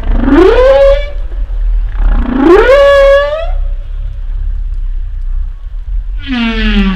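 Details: Humpback whale calls: two strongly rising whooping moans that sweep upward then level off, followed by a lower falling harmonic groan, all clear over low background rumble.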